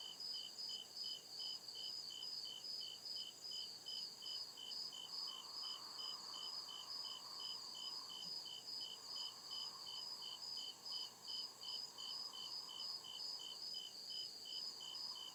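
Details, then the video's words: Night chorus of crickets deep in a forest, a high chirp repeating rapidly and regularly, about two and a half per second, atop a constant shrill drone, with a faint lower swelling hum midway. "CRICKET CHIRPING SOUND"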